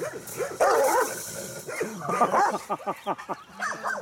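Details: Nervous Carpathian Shepherd Dog attacking a man and biting his hand, giving rough, irregular barks and snarling yelps in tight clusters, some harsh and strained, with background noise throughout.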